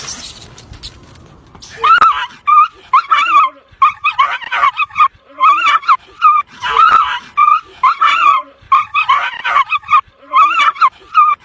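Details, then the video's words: Dogs confronting a grey wolf: bursts of sharp, tonal barks and yelps come in quick clusters after a short quiet start, repeating unevenly across the recording with brief silences between volleys. "Big grey Wolf vs 5 Dog - Sounds of wolves and Dog"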